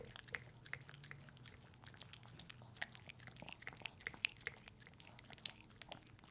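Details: Pepe, a pet dog, eating a peanut butter treat indoors in a close-up ASMR recording: quick wet licks and sticky smacking clicks follow one another irregularly, with a faint low room hum underneath.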